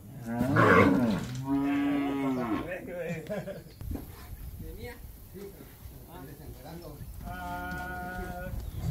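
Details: Calves in Campeche, Mexico, 20 August 2022: a loud short bawl, then a drawn-out moo, and later another sustained tonal moo, with people talking softly and calling to the animals in between.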